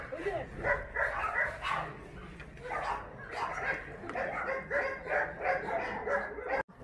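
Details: Dogs at the Mindeulle abandoned-dog shelter in Yangsan, Korea, giving a busy run of overlapping barks and yips, several voices calling in quick succession, with people talking in the background.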